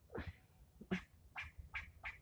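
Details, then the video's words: Loud, harsh scolding barks from a squirrel yelling at the one filming; five rasping calls, each sharply rising, spaced about half a second apart. "Getting yelled at by a squirrel"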